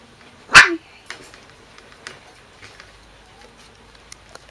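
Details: One of a litter of Corgi puppies, filmed 12 August 2013 indoors, gives one sharp, high yelp, then near-silence with faint clicks and rustles.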